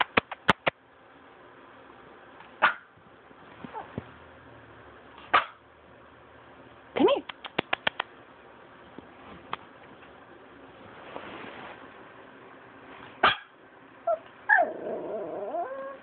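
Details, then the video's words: Pet Pomeranian barking indoors: short sharp barks, some in quick clusters of three or four, spaced through the recording, while a woman speaks to the dog between them asking what it is barking at. "My Pomeranian Lucita Barking"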